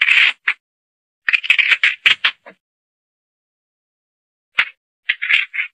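A mongoose gives harsh, raspy chattering bursts in quick clusters, with pauses of silence between runs. Nothing else is heard.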